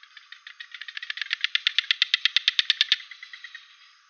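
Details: Costa Rican frog giving a dry, rattling pulsed call. The pulses start soft, grow louder and quicker into a steady run of about twenty sharp clicks, then stop abruptly, leaving faint trailing pulses.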